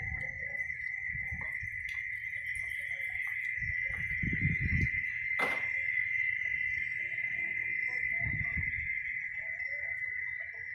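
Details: Cicadas (chicharras) giving a continuous, steady high buzz that holds one pitch throughout, with brief low thumps and a short crackling burst near the middle, plus faint scattered chirps from other insects or birds in the background.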